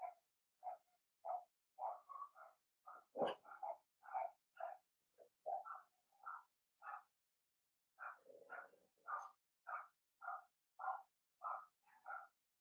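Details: Blenheim Cavalier King Charles Spaniel puppies from a litter of six in an indoor puppy pen, giving a long run of short, high yappy barks, a couple every second, with one brief grumbling growl-like sound near the end.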